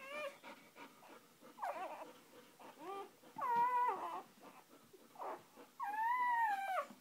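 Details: Newborn litter scene: a mother dog with her first three puppies just out; thin, bending whimpers and squeaks come irregularly about every few seconds over steady rustling and background hiss.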